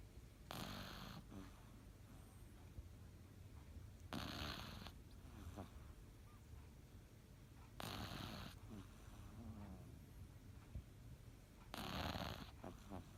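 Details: A Cavalier King Charles Spaniel snoring during a nap. Four raspy, broadband snore breaths come at steady intervals of almost four seconds, each followed by faint snuffling.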